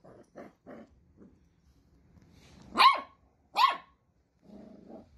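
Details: Playful Dachshund puppy: a few soft low grunts, then two loud, sharp barks about a second apart, followed by a brief low growl.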